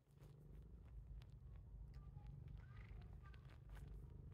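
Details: Pet cat Titchimo, known for biting its owner, gives a continuous deep purr over a few seconds, overlaid with light tapping and a brief scrape of handling noise.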